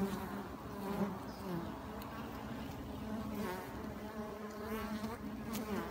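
Honey bees buzz steadily, a low droning hum with a rich stack of overtones.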